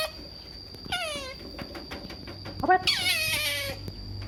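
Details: Otter begging for food gives two shrill screams, a short one with falling harmonic pitch followed by a longer, harsher, wavering squeal. A constant high tonal hum runs underneath.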